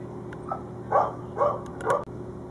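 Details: A German Shorthaired Pointer barks at two young squirrels up a tree, three sharp, evenly spaced barks over a steady low hum.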